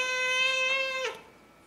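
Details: Mr. Kitty, a house cat, meows as he walks up and down the hallway every morning: one loud, long, steady, strongly tonal meow lasting about a second, ending in a brief downward slur, then near silence indoors.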